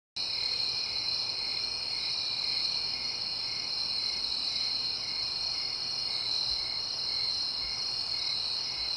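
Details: Crickets in the suburbs at night: a dense, continuous high chorus of shrill trilling, with faint pulsing in the chirps and no gaps.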